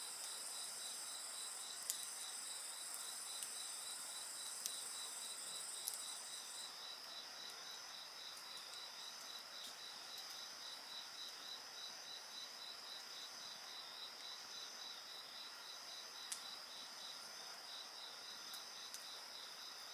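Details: Insects singing by a bonfire: a steady shrill high drone layered with a rapid train of pulsed chirps, a second higher trill fading out after about seven seconds, and a few sharp crackles from the fire.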